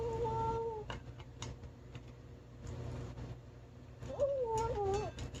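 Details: Skinny rescued male cat making talking noises while he eats: a steady drawn-out meow, quiet chewing and clicking, then a wavering, falling meow near the end.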